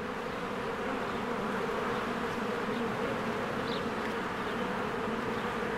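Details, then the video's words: Spring beehive with swarms of honeybees coming and going: an even, thick buzzing drone holding steady, one brief higher chirp near the end, no music. "1 Hour of a Beehive ASMR"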